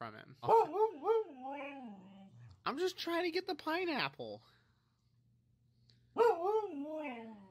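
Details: Siberian Husky "talking": wavering, yodel-like howled vocalizations that rise and fall in pitch, in three bursts separated by short pauses, with a silent gap before the last burst.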